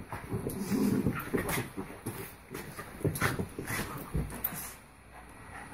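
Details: Havanese pair Rudy and Belle play-wrestle, giving a burst of low grumbling growls early on, then scattered short yips amid sharp clicks and bumps of bodies and paws.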